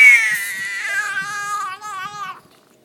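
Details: Female domestic cat making a funny talking noise while her back is scratched indoors: a single drawn-out wavering meow, starting high and sliding lower, lasting about two and a half seconds.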